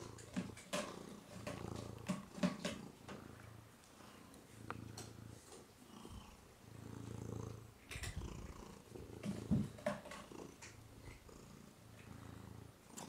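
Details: Woody, a pet cat indoors, purring as someone talks to him; a steady low rumble pulsing in long bursts of a few seconds each, with handling rustles and brief background noises.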